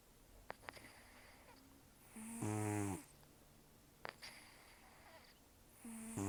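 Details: Rescued cat Taro, estimated 10 to 14 years old, nearly toothless from periodontal disease and a long outdoor life, sleeping indoors: two rough, buzzy, low rumbling snores on the inhale, separated by soft breathy snorts, in a quiet room.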